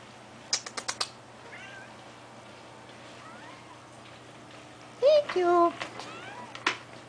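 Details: Nine-year-old neutered, front-declawed male Domestic Shorthair cat at an adoption shelter gives a drawn-out, wavering meow after a few clicks, while a woman coaxes him with quiet words.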